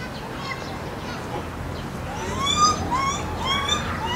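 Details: Lar gibbons at Maruyama Zoo, Hokkaido, Japan: male Kotaro, 11, calling while chasing female Ai, 6, filmed 8 April 2016; a series of rising whistled hoots, climbing in pitch and pace, over crowd chatter and a child's voice.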